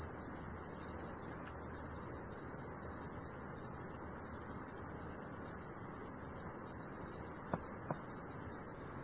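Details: A male Roesel's bush cricket (Metrioptera roeselii) sings a steady, high-pitched buzz like the hiss of overhead electricity wires, running on without a break; males sing from July to September to attract females, during daytime in hot, sunny weather.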